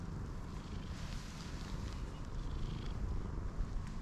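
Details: Hachiware (black-and-white) stray cat with black mask markings, petted in a park, purrs in a steady low continuous rumble throughout, with faint rustling and soft outdoor background noise.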